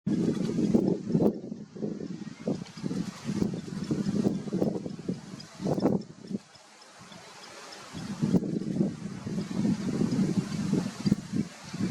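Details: Wind buffeting the microphone with rumbling low-frequency noise, possibly distant engine or water, and no clear animal call.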